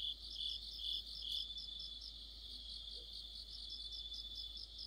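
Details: Crickets and fellow insects singing in mid-autumn under a street lamp, a dense high shimmering trill with softer, less distinct pulsing than a single nearby singer; faint low rustle beneath.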